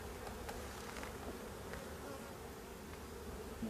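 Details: Bees from a drone-laying hive, with laying workers, swarming over frames full of honey during an inspection. An unbroken low buzzing drone is heard, with a few soft knocks scattered through it.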